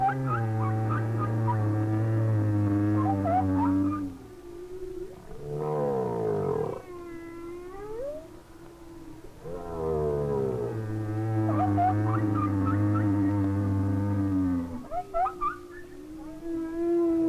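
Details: Humpback whale song from distant whales in their winter waters off Hawaii. The singer is often a lone, probably male whale moving slowly or not at all, possibly singing to attract a female. Long, low harmonic moans, a rising swept unit midway, then a repeated phrase.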